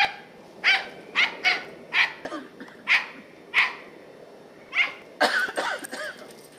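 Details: Sharp, high barks from Katie, a 10-year-old Scottie bitch chasing squirrels in November 2008, come roughly every half second in an uneven series and end in a rough, jumbled burst.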